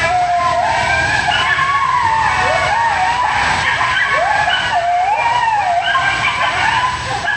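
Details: Coyote pack calling together, several overlapping voices in wavering, sliding howls and yips that rise and fall around a mid pitch, with harmonics stacked above; the chorus runs continuously without pause through the whole stretch.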